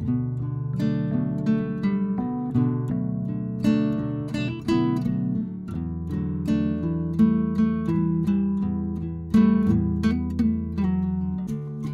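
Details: Strummed and plucked acoustic guitar music plays throughout, with steady chords and no animal sounds.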